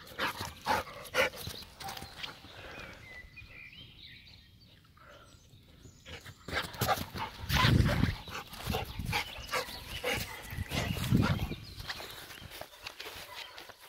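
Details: Jagdterrier, a German hunting terrier from a working breeding line, barking outdoors: irregular bursts of sharp barks, quieter at first, then a louder, denser run of barks in the second half.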